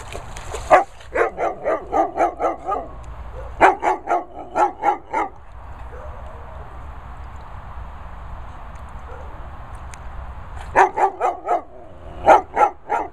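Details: Two dogs, a Cocker and a Pointer, the Cocker dunking his head under water and then telling off the Pointer for shouting at him; bursts of rapid harsh barks, about four per second, in runs of eight to ten, separated by quieter pauses.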